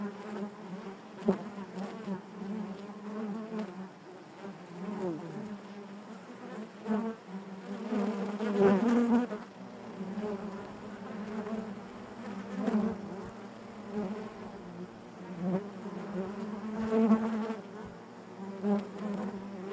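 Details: Hive interior full of honey bees giving a rich, droning buzz, constantly fluctuating in loudness with occasional brief rising whines and tapping sounds against the hum.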